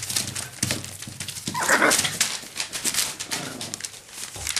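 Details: Parson Russell Terrier puppies, seven weeks old: one short, high yelp rises midway, set among steady scratching, tapping paws and rustling.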